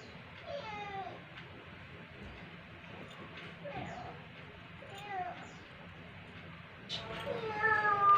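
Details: Indonesian village cats (kucing kampung), non-pedigree domestic pets: several short, falling meows spaced a few seconds apart, with a longer, brighter harmonic meow near the end. Soft human voices murmur underneath.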